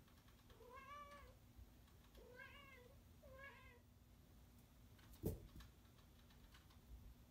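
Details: Male cat indoors, upset when someone gets between him and the camera, gives three short rising-falling meows about a second apart, followed by a sharp knock and faint keyboard clicks, with a steady low hum.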